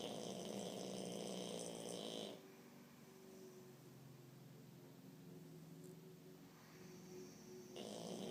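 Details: Jacques, a French Bulldog, snores loudly, with rough, rattling breaths that fade to a softer drone.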